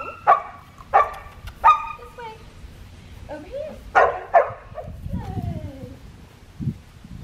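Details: Female black tri Australian Shepherd pup at heel training on an Oklahoma farm, November 25, 2019. Three sharp yelps in quick succession, then two more and a falling whine, as a person's voice carries underneath.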